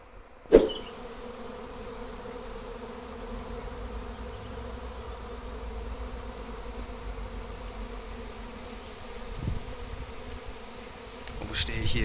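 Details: Massive honey bee swarm that suddenly settled in a backyard garden, later taken away by a local beekeeper; steady low droning hum with layered tones, a sharp knock near the start, the buzz swelling toward the end, German speech nearby.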